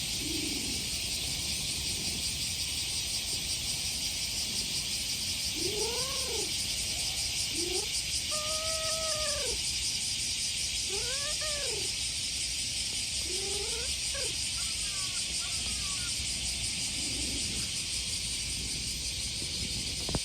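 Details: Cute-voiced handsome stray male cat being stroked outdoors in summer: a series of five or six clear, arching meows every second or two, some doubled, amid a loud, unbroken cicada drone.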